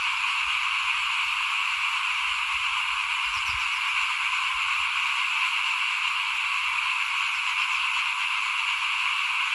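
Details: Frogs heard in front of a house as rice is sown for planting in 2021; an unbroken, droning chorus continues evenly, with one brief low knock partway through.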